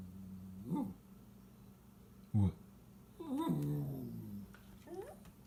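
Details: Toy Poodle Lola, sick yet excited at birds outside the window, lets out several short rising whimpers and whines spaced over a few seconds, with a longer wavering whine in the middle, indoors and quiet otherwise.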